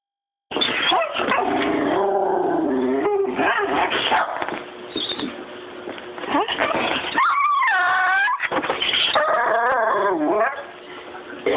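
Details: A pet dog greeting its owner on return home from school, making a long run of high whining and yelping sounds, some rising and falling in wavering tones, with music in the background.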